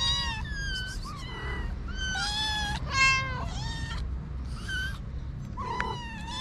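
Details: Homeless kittens with their mother waiting to eat: a dense chorus of overlapping high meows, shrill and urgent, some sliding downward, nearly continuous across the stretch, with a low rumble behind.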